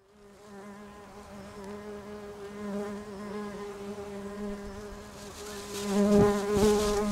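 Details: Bumblebees nesting in a house roof: a steady, low droning buzz with rich stacked overtones, several bees overlapping and wavering slightly in pitch, swelling louder toward the end as one passes close.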